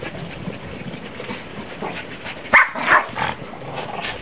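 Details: Two Shih Tzu crosses playing and chasing each other in snow; a quick pair of sharp barks comes midway through, over a constant hiss.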